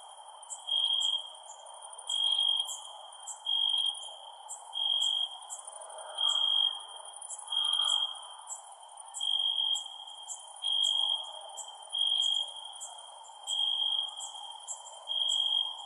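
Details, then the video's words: Chorus of crickets at night: high, shrill, pulsing trill bursts repeating around once a second, sharp ticks layered above, low hiss beneath. "Cricket Sounds @ Night"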